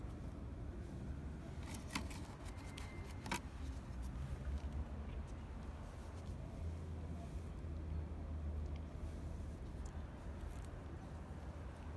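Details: Low street traffic rumbles steadily, with a few faint clicks and jangles and no animal calls.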